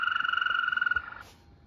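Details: European green toad, named in an animal-names sequence: a steady, musical trill held for about 1.2 seconds, with rapid even pulses on a single pitch, then fading into quiet background.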